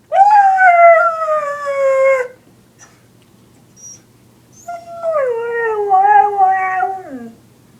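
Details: Reacting to sounds it hates, a dog gives two drawn-out howls, the first sliding slowly downward over two seconds, the second wavering and dropping at its end after a pause.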